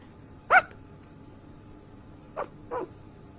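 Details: A sleeping puppy gives three short, squeaky yelps in a quiet room: one sharper cry, then two softer ones close together about two seconds later.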